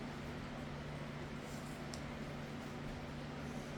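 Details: A steady low engine-like hum fills the recording, with broadband hiss and no other distinct sounds.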